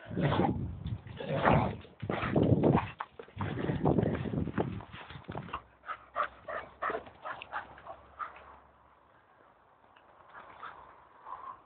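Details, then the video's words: Staffordshire Bull Terrier and a Doberman vocalizing before a walk: deep, rough growly moans for several seconds, then a string of thinner whiny yelps that fade to quiet whimpers. "Staffordshire Bull Terrier voice Staffie making funny noises"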